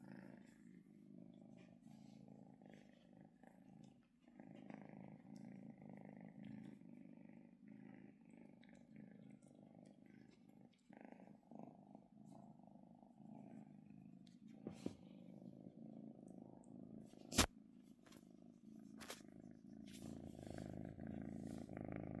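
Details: Pet kitten, female, relaxing while being stroked: a soft, quiet low purr running throughout, with scattered clicks and a few sharp handling knocks near the end.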